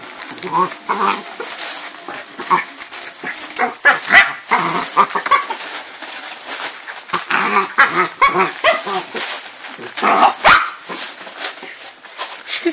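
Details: Two four-year-old dogs, a miniature Jack Russell and a Jack Russell–Chihuahua cross, opening their presents on Christmas morning, 25 December 2012; brief yelping and whining voices break through constant loud paper tearing and crinkling, with a human voice at times.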